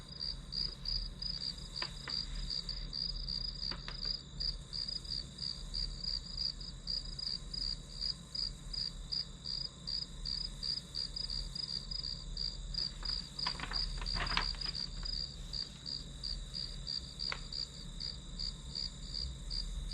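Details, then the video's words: Study-session white noise of grass insects: a constant high chirping, close to three pulses a second, with a few scattered clicks and a brief cluster of taps midway, plus a low background hum. "풀벌레 소리"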